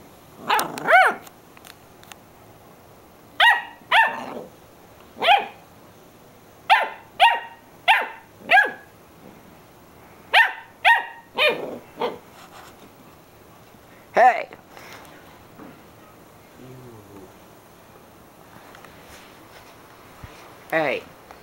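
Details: Jessie, a dog, barking at nothing; sharp loud barks in uneven bursts of two or three, spaced by short pauses, with a low growl near seventeen seconds and a final bark at the end.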